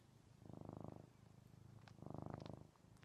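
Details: Male domestic cat purring loudly while snuggling with its owner indoors, television paused; low rumbling purr swelling in two long breaths, each about half a second to a second, with softer purring between them.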